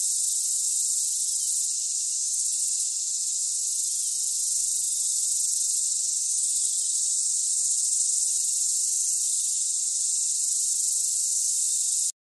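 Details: Loud cicadas, whose shed skins lie nearby among monarch caterpillars, fill the background with a steady, high, hissing buzz that never pauses.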